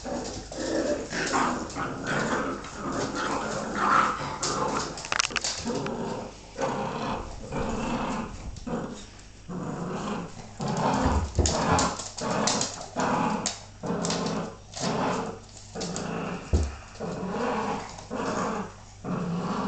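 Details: A Bull Terrier bitch play fights with her pups, then takes a nasty bite to the face and retaliates. Repeated throaty growls and snarls come in bursts about a second apart, mixed with scuffling and panting.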